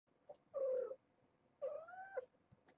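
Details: Year-old stray mother cat with a litter of six kittens, calling to wake them in the morning and urge them toward the room beyond a door; two drawn-out mid-pitched meows, the second longer and slightly rising, indoors.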